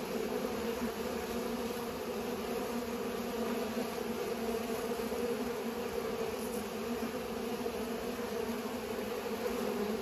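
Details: Busy bees pollinating produce an even, continuous buzzing drone, smooth and unbroken from start to finish.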